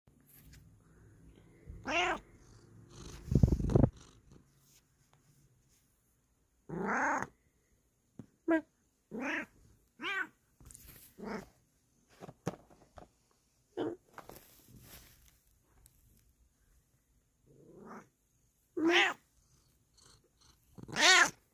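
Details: Bengal cat kept as a pet, giving a run of short harmonic meows, some arching up then down, spaced irregularly across the stretch, with a soft thump near the start and a person's quiet greeting between calls.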